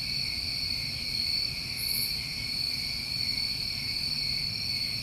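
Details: Summer crickets recorded at night in New England, a steady shimmering high-pitched chorus of overlapping trills in several bands, with one brief very high buzzy burst near the middle and a soft low rumble beneath.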